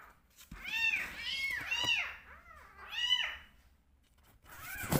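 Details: Two rescue kittens being bottle-fed give high, rising-and-falling begging mews in quick succession, several overlapping.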